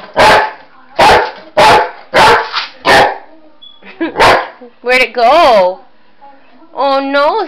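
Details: Boxer dog at play chasing shadows and a flashlight: five evenly spaced loud barks, then drawn-out, wavering, voice-like yowls that bend up and down in pitch, as if talking.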